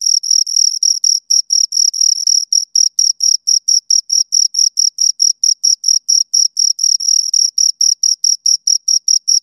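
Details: High, rhythmic stridulation from a pair of crickets: short sharp chirps about four per second, at times run together into longer trills, on a clean silent background.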